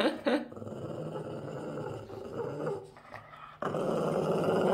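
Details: Boston Terrier growling while guarding his socks and not letting anyone take them; a rough, low rumbling growl runs almost throughout, swelling near the end, with a short sharp sound at the start.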